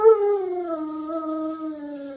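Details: Dog howling: one long, smooth, sustained tone that starts higher and slowly slides down, with steady harmonics above, lasting about two seconds; the dog is indoors, heard clearly without other noise.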